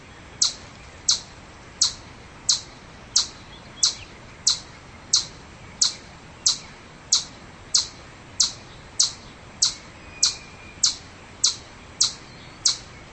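A chipmunk gives sharp, high chips, repeated steadily a little faster than once per second.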